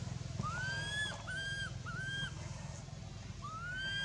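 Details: At Angkor Wat Temple, baby monkey Anissa cries in pain after being hit and dragged over hard ground by Aron, giving repeated rising-and-falling squealing wails, each under a second long, several in quick succession over a low background hum.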